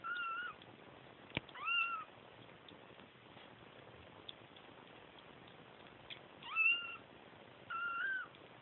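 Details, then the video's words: Kittens crying for their mother: four short, high-pitched meows, some rising at the start, arriving in uneven bursts with long pauses between. A faint steady hiss runs underneath, with a single sharp click early on. "Kittens crying for mama"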